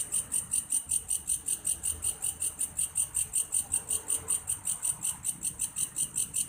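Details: Grasshopper known locally as belalang kayu, its sound said to resemble a cricket's: evenly spaced high buzzing pulses, roughly two to three per second, keeping a regular rhythm with little else heard beneath.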